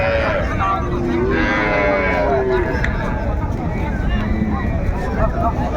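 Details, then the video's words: Cows with calves at Raniganj haat, a cattle market in Dinajpur, on 30 May 2024. A drawn-out low moo with curving tones stands out amid constant crowd chatter and market bustle. "বাছুর সহ গাভী গরুর দাম"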